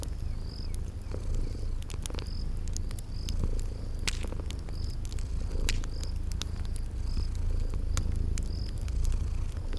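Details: Low, even purring from sleeping kitties near a crackling fire, softly pulsing throughout, while bright crackles snap irregularly and brief high chirps of crickets repeat in the background of a spring garden.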